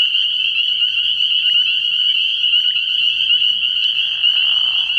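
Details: Spring peepers calling together at night in early spring at a frog pond: a dense, unbroken high-pitched shrill of overlapping peeps. A faint low murmur runs underneath, and a brief soft rustle is heard near the end.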